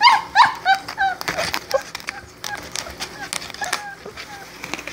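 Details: Four-week-old Great Dane puppies whining: a few high, squealing whimpers in the first second, then fainter short yelps and soft clicking and shuffling sounds.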